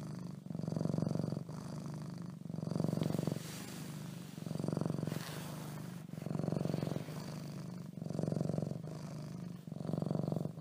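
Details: Leo the cat purring beneath bedcovers, a deep continuous rumble swelling and easing in regular cycles of roughly two seconds, alternating inhale and exhale phases, close and muffled.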